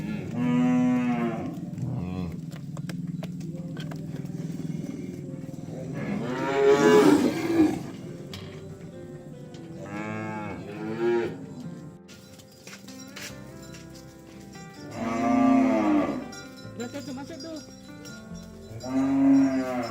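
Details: Herded oxen on their way to the farm area call repeatedly, deep moos of varying length scattered across the recording, several overlapping, against a softer background hum.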